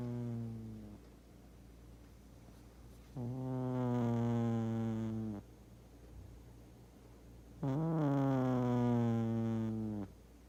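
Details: Big pet cat Doosik asleep and snoring at home, sounding almost like a wind instrument: three buzzy, harmonic snores of about two seconds each, pitch dipping then leveling, spaced roughly four seconds apart with quiet breathing between.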